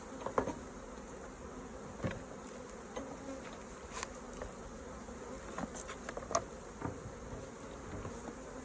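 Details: Honey bees at an open hive during a honey harvest, while combs are inspected and taken out. A low, steady droning hum runs throughout, broken by sharp clicks and knocks from handling the hive and frames.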